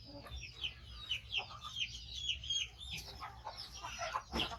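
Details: Rescued baby monkey, five months old and missing a foot after a trap injury, squeaking loudly as it waits for food; high chirped notes repeat unevenly, roughly every second, with faint background noise.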